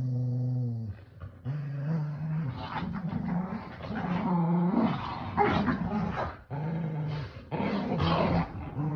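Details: Pet dogs, Kumo the Keeshond and Sully the Boston Terrier, playing tug with a starfish toy; deep sustained growls, some rising into higher, harsher snarling tones, with brief pauses between long rumbles.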